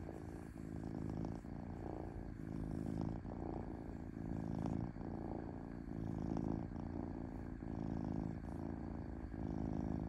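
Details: Smooth, steady purr from a domestic cat: a deep rumbling drone that swells and dips in rhythmic breaths roughly every half second or more, with a faint hiss above and nothing else audible.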